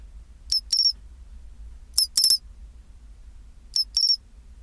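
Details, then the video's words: At 24°C a pine cricket gives its chinchirorin song. Three bright, high, bell-like phrases about every 1.6 seconds, each a quick tick and then a longer tinkling trill, with faint low hum between. "チンチロリン Sound of pine cricket"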